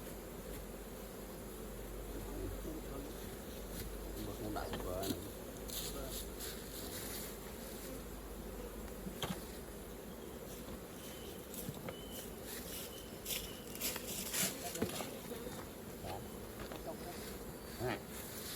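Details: Worker honey bees humming at a hive while golden honey is collected, a constant low buzz overlaid with scattered clicks and taps of beekeeping tools.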